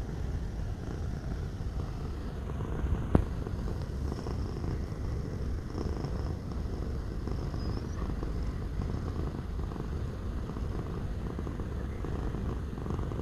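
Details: Cat purr: a continuous deep rumble of rapid, regular throbs holding the same level throughout, interrupted only by a single sharp tick a little past three seconds.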